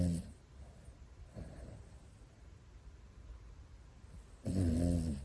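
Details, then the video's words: Sleeping Pomeranian brothers snoring indoors; a low, rasping snore with a buzzy harmonic tone sounds at the very start and again near the end, with quiet breathing between. "ポメラニアン兄弟～この いびき 大丈夫？"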